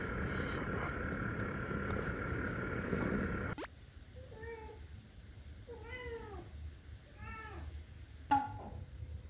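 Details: Sobbang, a young male British Shorthair cat born 18 June 2022, indoors around a mirror: after background music cuts off, four short rising-falling meows come at uneven intervals, followed by a sharp click.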